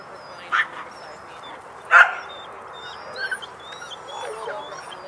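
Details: Border Collie at a herding clinic giving two short, sharp barks about a second and a half apart, the second louder, over a steady low background hum with faint high chirps and a quieter sound near the end.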